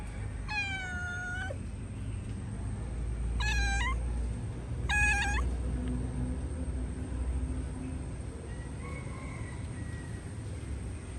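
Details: Cat said to be locked inside a hole, meowing in distress: three drawn-out, harmonic meows, the first longest and falling slightly, the next two shorter and bending upward, over a steady low rumble and faint high hum.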